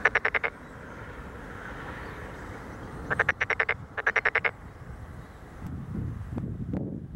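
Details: Tokyo Daruma pond frog in a rice paddy, Wakaba Ward, Chiba City, Japan, 30 May 2013, giving three rattling bursts of quick pulsed croaks, each about half a second long, over a constant hiss; a low rumbling noise rises near the end.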